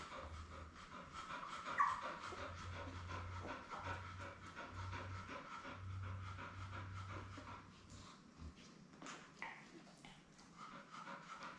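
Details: Labrador Retriever mother Belle with her seven newborn puppies, born May 24, 2021, on an indoor live puppy cam; steady, rapid breathy panting pulses run through the clip beneath a low hum.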